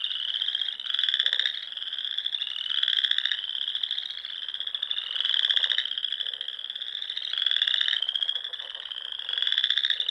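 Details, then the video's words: Nebraska Sandhills pond frogs in spring at dusk give an unbroken chorus of high, rapid, buzzy trills that climb slightly, with loud pulsing bursts returning about every two seconds. "RELAXING SOUNDS OF FROGS"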